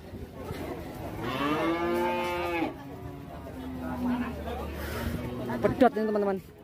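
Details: Loose, raging cow that got free and ran into a roadside shop, causing an uproar. Several drawn-out, harmonic moos, the longest a steady low tone lasting about three seconds, with a sharper burst near the end and faint voices nearby.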